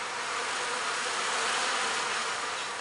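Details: A three-pound package of honey bees, clustered around a sugar syrup can inside the shipping box, gives off a steady, even buzz that holds without a break, just before being installed into a hive in April.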